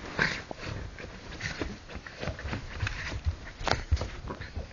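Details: A Pekingese going wild gives a run of rough, excited barks and growls in quick, uneven bursts.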